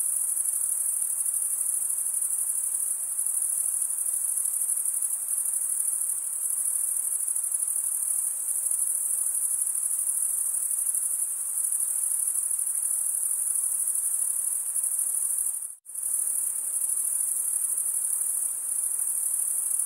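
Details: Night-time summer forest crickets sustain a bright, high, continuous trill that drops out abruptly into a split second of silence near the sixteen-second mark before returning just as before.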